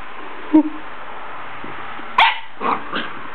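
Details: Barking by Sadie, a female puppy at play with her bone: a short low yelp, a pause of more than a second, then a louder sharp bark followed by two quieter trailing yips, with constant hiss underneath.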